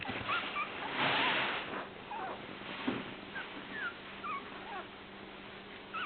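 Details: Toy poodle puppies taking their first steps give thin, high squeaky whimpers in short curved bursts, repeated irregularly over a steady background hiss, with a louder rustling thump near the start.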